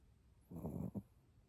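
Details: Chihuahua asleep and snoring: a low, rasping half-second snore followed at once by a brief second snort, in a quiet room.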